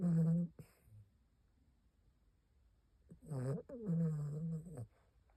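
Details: Asleep, an elderly Maltipoo aged 15 gives deep, humanlike snores: a short rasping breath, a pause of about two and a half seconds, then a longer droning snore, indoors and otherwise quiet.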